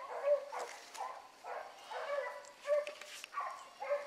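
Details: Hound pups named Ringo, Mingo and Choco running a rabbit in the morning, giving short harmonic bays in bursts about every second, some carrying from a distance, outdoors.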